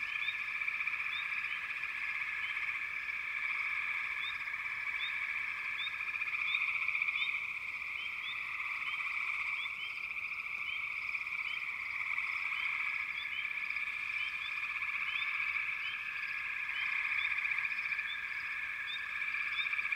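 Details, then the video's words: Dense frog chorus from backwater, a steady continuous trilling wall of sound with many overlapping callers, plus short rising chirps repeating across the whole stretch above the drone. "Backwater Chorus, & Frog Chorus"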